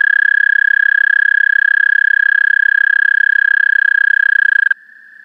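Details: Steady high musical trill of an American toad, captured through a parabolic microphone on a DSLR, pulsing rapidly for nearly five seconds before stopping abruptly, leaving a fainter trill of another toad beneath.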